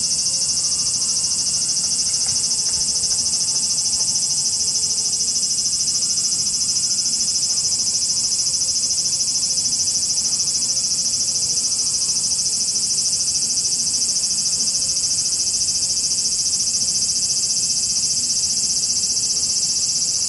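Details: Japanese cicada swarm: a loud, steady screaming hiss of insects layered into one high wall of sound, faintly pulsing, continuous for the whole stretch with no pauses.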